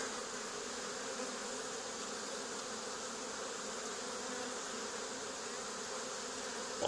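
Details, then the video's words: Swarming honey bees on an old barn wall start moving toward a scent as they are removed. A thick, even buzzing hum holds without pause for seven seconds and ends in a sudden knock. "Honey Bee Swarm"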